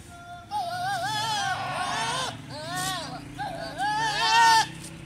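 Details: Goat during mating, giving three loud, quavering bleats in quick succession, each wavering and bending in pitch with a shaky vibrato, separated by short gaps over a steady low hum.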